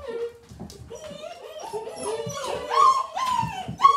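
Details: Gerberian Shepsky puppies, a litter of seven, getting a new tunnel in their pen. High, wavering whines slide up and down in overlapping bursts, rising to sharper yelping cries near the end.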